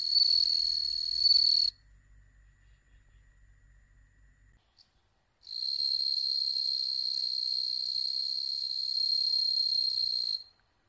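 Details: Bell crickets bred at home in Hokkaido, Japan, where none live wild; a high bright ringing trill sounds briefly, breaks into near silence for several seconds, then resumes as a long sustained ring before stopping.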